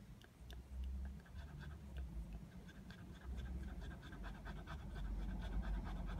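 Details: A Border Terrier lying out in the sun while hot, giving fast, soft, breathy panting at a rapid uneven rate, with low rumbling background noise throughout.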